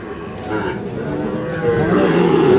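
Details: Sahiwal bull calves at Ambari cattle market in Parbatipur, Dinajpur, Bangladesh, 11 May; a drawn-out moo swells toward the end, rising in loudness, amid market chatter and background noise.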